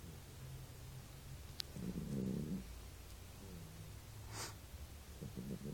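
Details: Buba, a pet, snoring while asleep: a low, rough rumbling breath swells near two seconds, then softer snuffling rumbles return at the end over a steady low hum, with a couple of brief sharp clicks.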